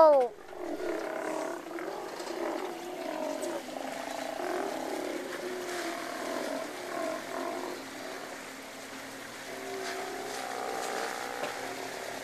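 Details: Several Steller sea lions calling from their colony off the west end of Hanson Island, BC, heard from a boat; steady overlapping growling roars rise and fall over hissing background noise.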